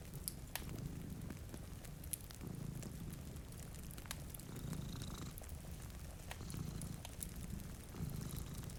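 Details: A low rumbling purr from cats dozing by a rain-streaked window pulses in long breathy waves, with occasional pops from a crackling fire and a light hiss of rain.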